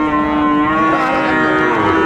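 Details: Sahiwal cattle, bull calves, at the Ambari cattle market in Dinajpur, Bangladesh, on 11 March 2024 at the start of Ramadan; a loud, steady, low drawn-out moo held without a break for the whole stretch.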